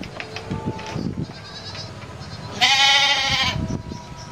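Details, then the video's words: Domestic goat giving one loud, harsh, wavering bleat of nearly a second after a stretch of quieter background noise. "EMBEK, SUARA EMBEK"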